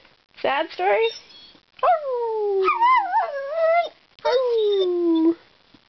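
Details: Talkative pet dog indoors giving three drawn-out whining howls, each starting high and sliding downward, the middle one wavering, with short gaps between.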